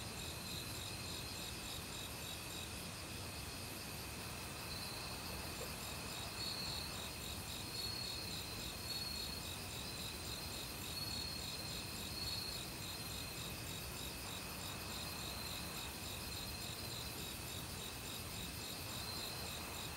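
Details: Crickets and other insects in an autumn forest chorus: rapid pulsed chirping about four times a second over sustained high ringing tones, with a mountain stream rushing in the background.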